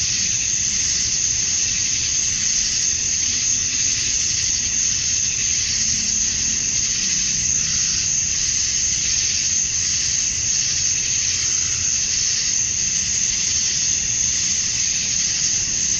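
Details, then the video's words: Summer dusk in Georgia, USA, filled by male cicadas calling for females: a steady, very high-pitched buzzing drone with barely any change in loudness over sixteen seconds, and only faint lower murmurs beneath. "Cicadas at Dusk, Summer Night"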